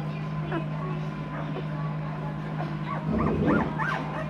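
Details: Noble Asian Bear pups at two weeks old, hybrids of Asian Bear Dog and Caucasian Ovcharka, whine in scattered thin squeaks that grow into a louder cluster of arching yelps near the end, over a steady low hum.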